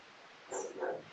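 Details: Two German Shepherds named Stormy and Shady barking in the background of a live show: two short, muffled barks in quick succession, faint and distant-sounding.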